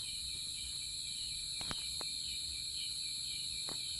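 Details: Cricket song outdoors: a continuous high, ringing trill over background noise, broken by a few sharp clicks.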